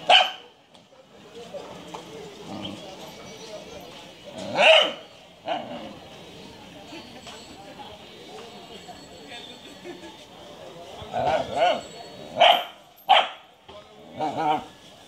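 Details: Short, abrupt barks from a Japanese Shiba Inu: one at the outset, another a few seconds later, then a quick run of four or five toward the end, over quiet background conversation.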